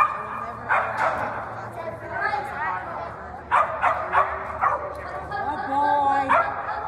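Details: Bean, a toy poodle running a standard agility course, gives short, sharp yipping barks in scattered bursts, several close together near the middle, over continuous human speech and handler chatter.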